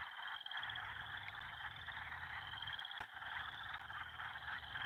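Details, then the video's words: Frogs calling together by a farm's beaver pond, their concert swelling louder day by day: an unbroken wall of trills, a thin high pulsing line over a thick middle layer, one sharp click midway. "Let's listen to the frogs, guys. There's something"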